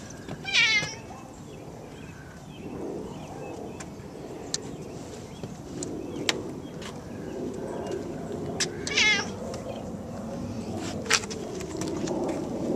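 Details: Pet cat wandering its yard and home gives two short, bright meows several seconds apart, one early and one later, over rustling, soft thumps and a steady background hum.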